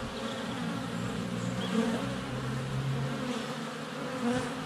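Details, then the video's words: At a hive entrance in February sunshine, honey bees circle close to the GoPro: a layered buzzing drone with distinct pitched hums sliding up and down as bees pass, plus faint high bird chirps. "4K Honey Bees - ambient video and audio"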